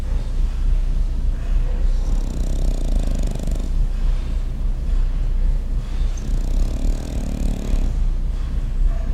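A French Bulldog snores with low, rumbling breaths that swell and fade every few seconds.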